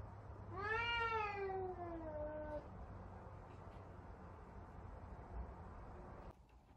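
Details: Angry F2 Savannah cat indoors: one long drawn-out meow, rising sharply then sliding slowly downward over about two seconds with rich harmonics, followed by low steady room hum.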